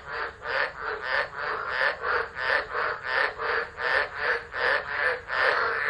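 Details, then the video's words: Storm-season chorus of tropical frogs at Driver, Northern Territory, Australia, 13 December 2013, captured on a phone. Quick harsh croaks, nearly three a second, pulse evenly over a constant wet background hum. "Tropical Storm Frogs Singing"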